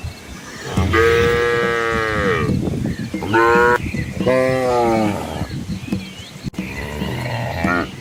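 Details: Asian village cows with calves walking along a quiet rural road among green rice fields; several long harmonic moos, the first lasting about one and a half seconds, then shorter calls, with low rumbling background.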